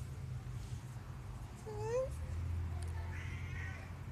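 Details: Pet cat watching something up in a tree from the balcony, calling its owner to come out; one clear rising meow near the middle, then a brief chirpy trill, against a low rumbling background hum.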